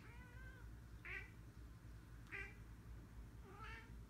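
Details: A ragdoll cat, a female, relaxing on a fluffy carpet and chirping along with wild birds outside, gives a soft opening chirrup, then three short, bright chirps about every second and a quarter, over a steady low hum.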